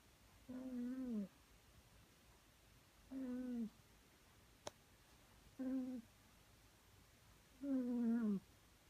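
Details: A pet cat sleeping at home, snoring softly at a cute volume: four short, buzzy, harmonic snores, each dipping slightly in pitch, about every two and a half seconds, with one sharp click between them in a quiet room.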